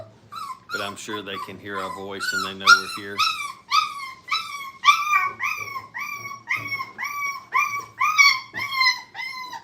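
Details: Five-week-old Brittany puppies playing at a training kennel: after a moment of human talk, a run of high whimpering yelps, each sliding downward in pitch, repeats about twice a second in a small indoor space.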